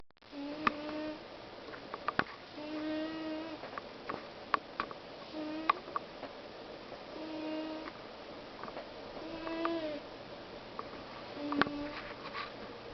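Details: Pet cat asleep and snoring indoors, quiet and close: soft tonal snores with stacked harmonics, each breath lasting under a second and recurring roughly every two seconds, over faint room hiss with sharp clicks scattered throughout.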